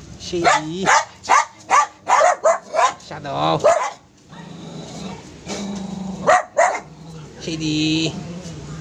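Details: Pet poodle barking: a quick run of about seven short, bright, harmonic yaps roughly every half second, a brief pause, then two more sharp barks near the end, with a human voice and faint music behind.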